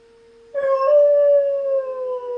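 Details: Knuckles the German Shepherd reacts to the monthly siren test with a sudden loud howl that holds a fairly level, slightly wavering pitch for nearly two seconds over the steady siren hum.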